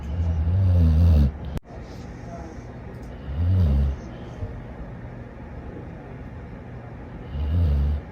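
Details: Dog asleep and snoring: deep, low rumbling snores repeat roughly every three seconds, with a brief click near the start.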